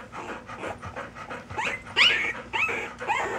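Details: Puppies panting in quick, uneven breaths, broken by short, high squeaks that rise and fall, with a few breathy bursts between them.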